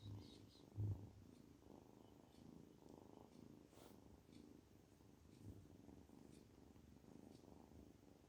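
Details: Kitten purring while feeling good, a quiet low continuous rumble with soft rhythmic pulsing and a brief louder bump near the start, in a calm indoor setting.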